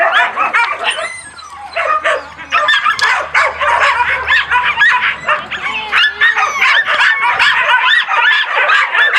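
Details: Loud chorus of husky and laika puppies, 4 June 2016: overlapping shrill yelps, barks and brief wavering howls from many pups, nearly unbroken, with a short lull near the start.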